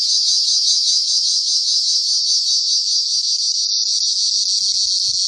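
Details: Cricket trilling nonstop in a sharp, high, finely pulsing buzz, with a momentary dip partway through and a couple of low knocks near the end.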